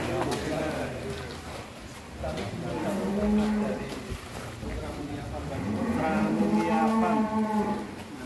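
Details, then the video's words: Bull at a farm in Bandung, Indonesia, agitated on leaving its pen for the first time; two long, steady low moos a few seconds apart, each held about two seconds, with people talking. "SAPI EXTRIM NGAMUK PERTAMA X KELUAR KANDANG"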